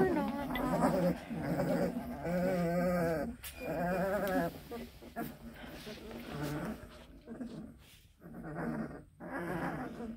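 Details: Two-week-old Black and Tan Coonhound puppies in a nest, messy after just getting their wormer, grumbling: overlapping wavering whiny moans in irregular bursts, with a quieter stretch near the end.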